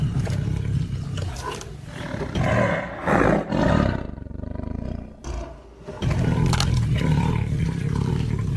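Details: Tiger growling low and steadily, swelling into louder rough roars midway, dropping to a quieter stretch, then resuming its deep pulsed rumble.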